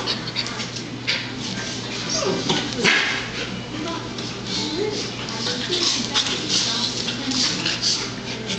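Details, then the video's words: Two Golden Retriever puppies playing together, giving brief high yips and whimpers amid scuffling and rustling play noise, with a steady low hum underneath throughout. "Playing Goldens"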